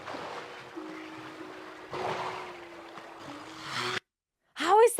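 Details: Wild walruses off the coast of Alaska, near a haul-out of male walruses, making a bell-like chiming sound as they swim past: a steady low ringing tone held for about three seconds over watery hiss, then a brief human voice at the end.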